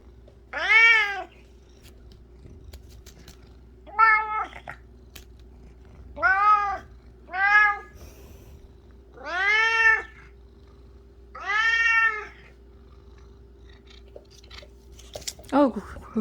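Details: Indoor cat obsessed with flower petals repeats loud, arching meows, six main calls spaced roughly every two seconds, some short, some longer, over a constant low background hum.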